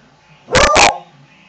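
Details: Beagle barking extremely loud while chasing the cat: two sharp, harsh barks in quick succession lasting under half a second, with a faint low hum in the background.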